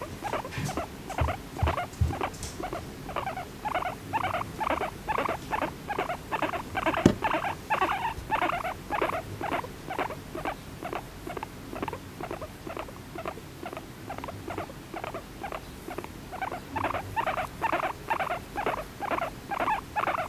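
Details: Pet female guinea pig, a year and a half old, kept in an apartment, chattering "honyo honyo" with pleasure while gently stroked: fast rhythmic soft squeaky pulses, about two per second, steady throughout, with faint rustling.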